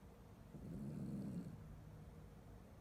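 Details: Chiweenie dog asleep, giving a single low, rough snore that swells and fades over about a second against quiet room background.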